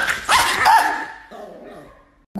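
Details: An angry, aggressive pet Chihuahua indoors gives two sharp, high yipping barks in quick succession, then a softer, fading whine-like tail that dies into near silence before a brief human voice at the end.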